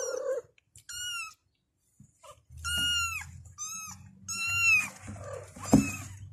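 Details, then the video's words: Kittens meowing to call their mother: high arched mews in quick succession, some short and some drawn out, over a low indoor hum. "The kittens meowed and called their mother"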